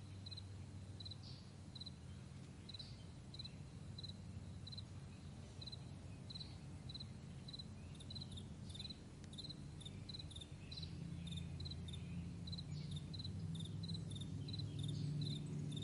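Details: Crickets in the morning on a vast meadow, giving short high pulsed chirps repeated steadily, about four a second, over a constant low droning rumble.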